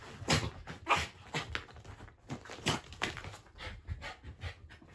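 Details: Shiba Inu Ranmaru indoors, back from an outing and sniffing a blanket where a family member, away three months, hides unseen; rapid breathy panting and sniffing bursts, uneven, about a hundred a minute, with no other clear sounds.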